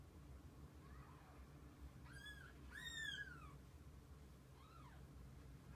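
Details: Mother cat and her kittens together through the day: a faint mew, then two strong arched meows close together, rising and falling, with a last softer mew near the end over low background hum.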